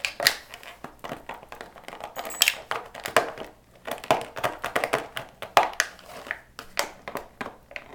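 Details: Plastic water bottle crinkled, crushed and tapped in a rapid irregular series indoors, with no animal voice.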